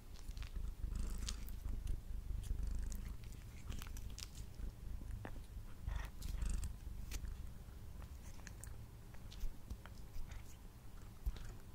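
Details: Domestic male cat eating indoors while purring, Blue Yeti recording: a low, grainy rumble swelling and fading, mixed with frequent crunchy chewing, lip smacks and sharp bite clicks.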